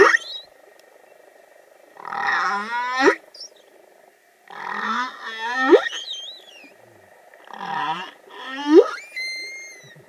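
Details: A young humpback whale (Megaptera novaeangliae) sings in the waters of Vava'u, Tonga: phrases of pulsed groans ending in sharp rising sweeps, repeated every few seconds.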